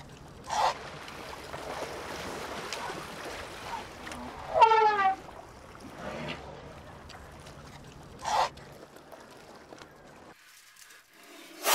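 An Asian elephant gives one brassy, horn-like trumpet blast lasting about a second, with a few short broad bursts of sound before and after.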